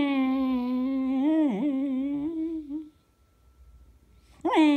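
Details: Eva, a Beagle filmed indoors on February 19, 2016, gives a long, even, nasal howl lasting about three seconds with a brief dip in the middle, then falls silent before a new rising howl begins.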